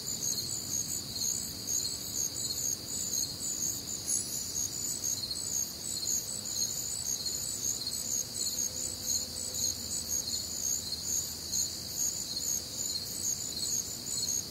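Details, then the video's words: Crickets on a warm, humid Midwestern summer night, a dense chorus of high, shrill chirping pulsing steadily without pause, with faint low background hum and other nocturnal sounds. "Night Time Cricket Sounds"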